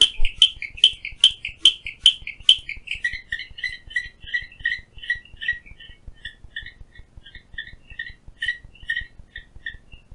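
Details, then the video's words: Clicking stream frog (Strongylopus grayii) outside a window at Phillipskop Mountain Reserve, Stanford, Western Cape, South Africa: a rapid series of sharp, dry clicks, loud and spaced at first, then softer, quicker clicks, roughly two to three each second. "Clicking Stream Frog"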